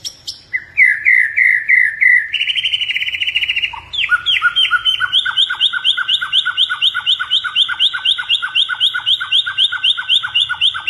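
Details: Caged blorok-type white-rumped shama from Indonesia in full song: varied sharp notes and a buzzy trill, then a long rhythmic series of quick down-slurred whistles repeated about four times a second.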